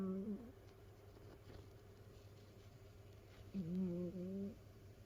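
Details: Sleeping domestic cat snoring indoors in a multi-cat home: two short whistling, nasal tones with a wavering low pitch, about three seconds apart, over a faint steady room hum.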